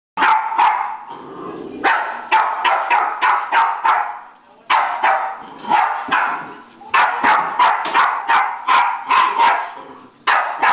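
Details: Jack Russell Terrier barking at a broom: rapid bursts of sharp, mid-pitched barks in quick runs of several, broken by brief pauses, about three barks a second.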